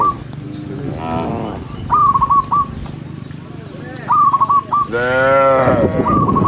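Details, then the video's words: Gentle cattle herd moving along a countryside path at sunset, mooing to call other cows home: scattered short moos and one long loud bellow near the end, over steady rural background and bursts of quick chirping notes. "with the sound of cows, cow Sound"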